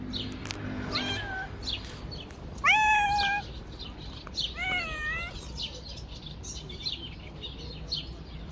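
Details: Street cats fed on a river bank give a few meows: a strong, level, harmonic cry followed by a shorter arched one, with faint clicks and a low steady hum behind.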